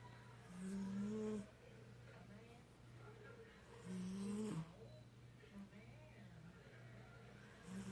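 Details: Buddy, a pet cat, snoring while asleep: two low, buzzy rasping breaths about three seconds apart over a steady low hum, with quiet indoor room noise between them.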